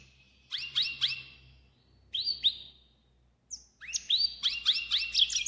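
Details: Pintagol in full song, bursts of quick rising chirps and trills interrupted by short gaps, ending in a dense twittering run, with a low steady hum underneath.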